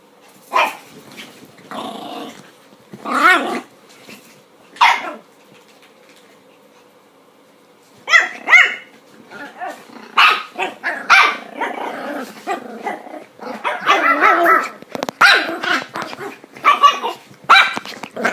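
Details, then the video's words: Chihuahua protesting her first clothing, angry and wanting them off: bursts of sharp barks mixed with growling, a quiet pause in the middle, then a rapid, busy run of barks and growls toward the end. "Chihuahua protestando por su ropa"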